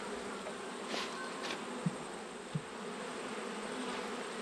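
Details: Colony hum from honey bees during an autumn hive check, with plenty of bees present; an even, low buzzing drone with two short soft thumps and faint passing hisses.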